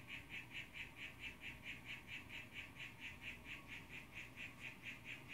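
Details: Blue young male harlequin poison frog calling for a female, recorded on a phone: evenly spaced buzzy pulses repeated roughly twice a second, steady and unbroken, with faint low rumble behind.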